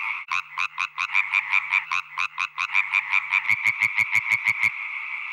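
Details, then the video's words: European tree frog males calling, song that females judge by pitch, power and speed; rhythmic croaking pulses about three per second, a second frog's sharper, louder notes taking over midway. "Le mâle idéal délivre donc un son grave, puissant et rapide."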